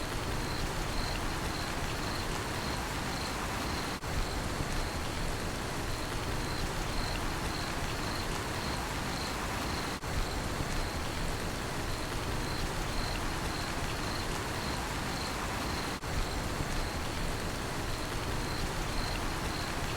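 A cricket chirps steadily in a high, rapid pulsing trill over the hiss of heavy rain.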